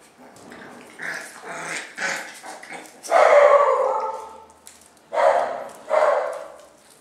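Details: Domestic dogs from a family with their puppies. Loud, harmonic barks come in short bursts, with a long drawn-out bark near the middle and two sharp barks close together at the end, after some softer yappy sounds.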